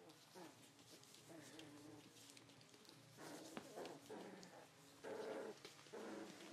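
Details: A litter of 3.5-week-old Cardigan Welsh Corgi puppies whine and squeak in thin, wavering tones, with louder yelps near the end.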